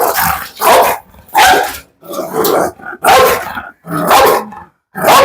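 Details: Big, heavy Pit Bull with a fierce temperament barking repeatedly: rough, explosive barks about once a second, uneven in spacing, each burst dense and loud with brief gaps between.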